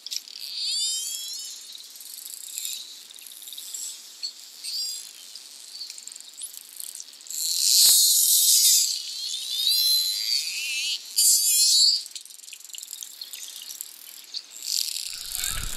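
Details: Wild Bottlenose and Atlantic Spotted dolphins playing together in the tide line at Bimini, Bahamas, in June, communicating underwater: dense overlapping high wavering whistles and squeaks, with bursts of louder broadband clicking midway.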